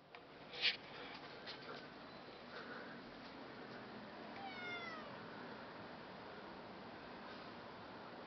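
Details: Cat giving a single drawn-out meow midway, its pitch sliding downward over about half a second, set against a constant soft hiss, with a sharp click near the start.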